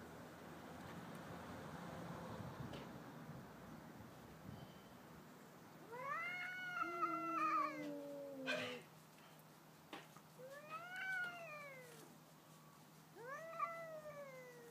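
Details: Neighbouring domestic cats in a nocturnal stand-off, quiet at first, then arched moaning yowls repeated every couple of seconds, each rising then falling, with one brief knock.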